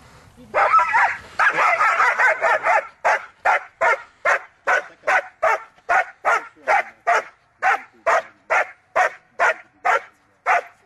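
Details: German Shepherd Gaia von Starke Pfoten during hold and bark Schutzhund training, giving loud, sharp barks; a burst of rapid overlapping barks at first, then steady single barks about twice per second.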